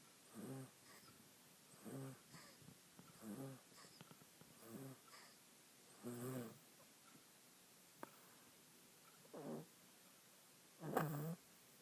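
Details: Little female monkey snoring while napping on a person and dreaming; soft, low breathy snores come in short bursts roughly every one and a half seconds, with a faint click near the middle.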